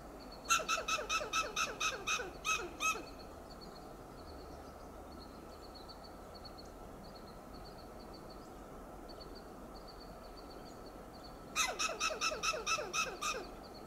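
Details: Loud scolding alarm calls of a western gray squirrel perched on a coast live oak, Del Monte Forest, California; a fast series of harsh clucks opens, soft high chirps of a bird fill the pause, and a second clucking run closes.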